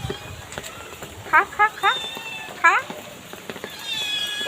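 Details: Two kittens on a street being fed by a person: a rapid series of short, high rising mews, four in the middle and more near the end, while a man speaks encouraging them to eat.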